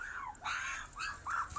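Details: Puppies whimpering in a series of about four arched, thin whines that rise and fall, some overlapping, over a steady hissing background.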